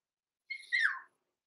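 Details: Six-week-old blenheim Cavalier King Charles Spaniel puppies, Roman and Blue, born November 14, 2022, overnight in an indoor puppy pen: one high whine slides downward and fades after about half a second, then silence.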